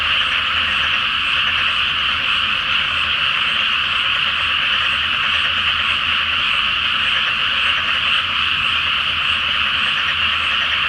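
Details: Nighttime frog chorus in a rice field flooded ahead of planting, beneath the full moon; many croaking frogs overlap into a uniform, dense trilling hum throughout.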